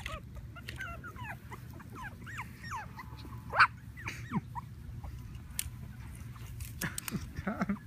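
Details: Young puppies at a Plano, Texas Havanese breeder give a run of thin, wavering whimpers and whines, bending up and down, with one brief louder yelp midway and soft handling noises.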